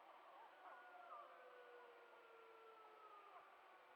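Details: Trail cam recording of wild wolves in the Yukon: two long, smooth howls held and slowly falling in pitch over a hissy background.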